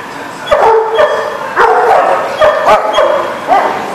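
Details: Dog barking, recorded 21 June 2019: short, sharp, tonal barks with clear harmonics, about six over four seconds at an uneven rhythm, some doubled or overlapping, with a faint background hum.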